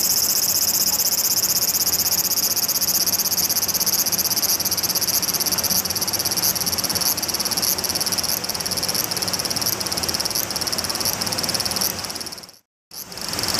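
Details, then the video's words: A large brown cicada sings a loud, steady sizzling buzz, like fat spitting in a frying pan, while walking and approaching the camera. "歩きながら鳴くアブラゼミ ～気になるんです～"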